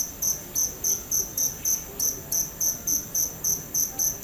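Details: Steady cricket chirps, high and shrill, repeating about three times per second in an even rhythm with slight irregularity; quiet low rumble underneath.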